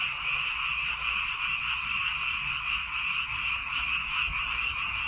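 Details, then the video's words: Many frogs calling from rice paddies on Baengnyeongdo Island, Korea, a dense steady chorus of overlapping croaks with a faint low hum beneath. "백령도 논에서 우는 개구리 울음소리"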